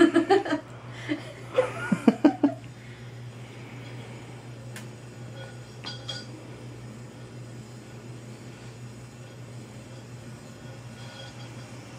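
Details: Short bursts of human chuckling and voices at the start, then a quiet room with a low hum and a few faint clinks, with no animal calls.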